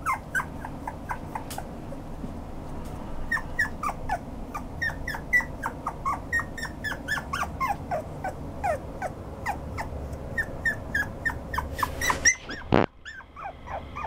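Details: Toy poodle, 5 July 2014, whining almost nonstop indoors: rapid high yips and falling squeaks repeated for over twelve seconds, ending with a sharp clatter and a brief hush.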